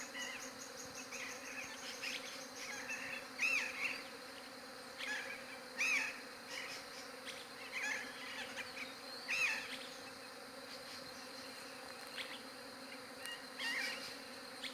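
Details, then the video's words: Steady droning hum of bees, recorded on a Galaxy J7 Prime 2 phone, a low even buzz under repeated bright bird chirps and short whistled notes every few seconds. "SOM DE ABELHA"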